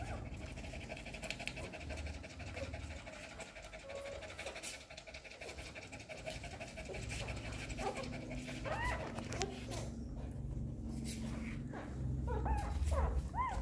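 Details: Hungry newborn puppies nursing from their mother dog: steady low breathing and suckling noise for most of the recording, then a run of short, high, squeaky whimpers that rise and fall during the final seconds.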